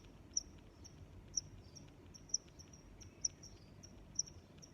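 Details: Cricket chirping: sharp high chirps about once a second, with softer chirps from other crickets between them, over a low steady background hiss.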